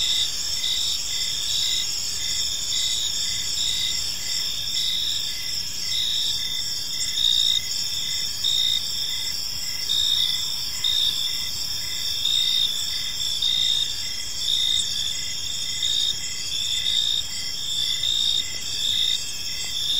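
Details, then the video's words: Many crickets chirp together in a park at evening: a bright, sustained high-pitched ringing with regular pulsed chirps about once a second and slight swells in loudness, steady low ambient noise beneath. "Park Serenade: Cricket Sounds in a Peaceful Park"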